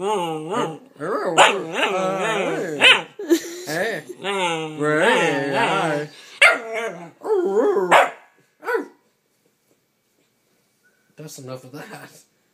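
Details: Bernese Mountain Dog puppy at nine weeks, having a conversation while cuddled; a long run of wavering, yodel-like whines and grumbles with rising and falling pitch, then silence and a final short whine.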